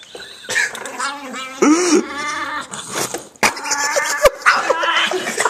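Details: Dog making a Chewbacca-like vocalisation: wavering, harmonic groaning moans that rise and fall in pitch, several drawn-out notes across a few seconds, with sharp clicks and a person talking close by.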